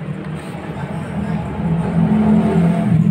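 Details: Steady low rumble of a passing car engine that grows louder, with faint speech and no animal calls.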